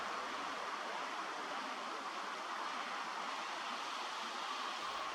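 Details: Steady broadband hiss like rushing water or distant surf, with no animal calls.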